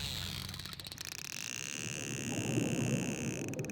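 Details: Dolphins near a hydrophone, using clicks to find their prey: rapid pulsed clicking in dense vertical bands in the first second and again near the end, with steady high whistle-like tones running through most of the recording and low water rumble beneath.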